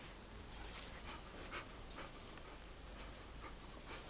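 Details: Beagle playing and having a good time in a backyard, breathing in quick, soft, breathy bursts roughly twice a second, with a faint whimpering tone, over a steady outdoor hiss.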